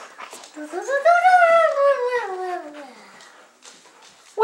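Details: Twelve-week-old golden retriever and German Shepherd mix puppy, a shy foster dog, playing with his pals indoors; one long, high, arching whine with rich harmonics lasting about two seconds, rising then sliding down, with soft voices around.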